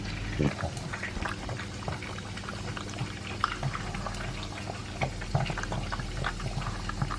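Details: Pug Elvis, two years old, eating his dry food with beef meat: irregular crunching bursts and wet smacking, occasional louder bites, with a low hum in the room.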